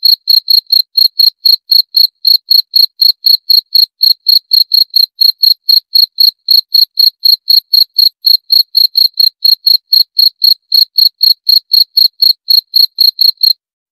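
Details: Cricket chirping steadily, short high-pitched pulses repeated about four times per second in an even rhythm, each with a faint thin overtone, against a silent background with no other sounds.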